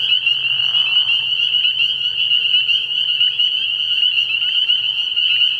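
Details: A nighttime frog pond in early spring, where countless spring peepers give high, shrill peeps that blend into one continuous ringing chorus; a brief lower raspy burst opens the recording.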